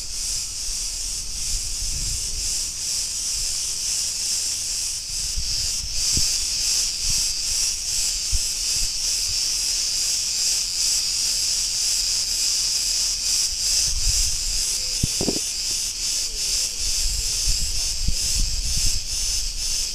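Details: Cretan cicadas in a street of Ierapetra on Crete, Greece, producing a constant high-pitched rasping drone with rapid pulsation, plus scattered low thumps and soft background noise.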